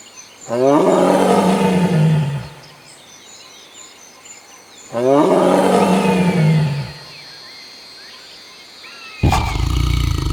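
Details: Tiger (Panthera tigris), roar.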